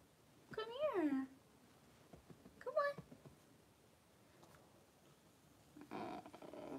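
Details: During the birth of six Cavalier King Charles Spaniel puppies to mother Daisy, two drawn-out whines sound, the first rising then sliding down in pitch, the second shorter, followed by a burst of rustling and quiet talk.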